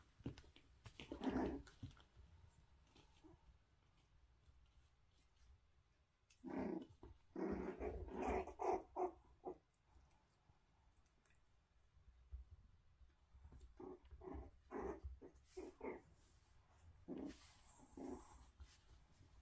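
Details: Toy Poodle puppies playing indoors while meeting a balance board and an adult dog, giving short bursts of low growling and yapping in scattered clusters with quiet gaps between.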